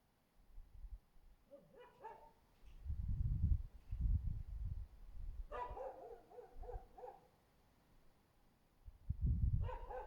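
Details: Husky under a window, 24 February 2024, barking in uneven volleys: a few yelping barks, then a longer run of rapid barks, against heavy low rumbling noise that swells repeatedly.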